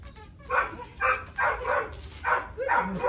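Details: Tyrion, a 3-year-old Boxer with low food drive and high prey and play drive, during engagement and recall training; five short, sharp barks about half a second apart over a faint background hum.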